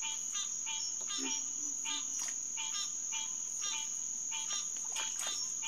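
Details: At the Headquarters Pond, SMNWR, on a June night in 2021, green tree frogs (Hyla cinerea) give quick nasal quonks in loose clusters against a constant shrill insect drone; a short low call sounds near the first second.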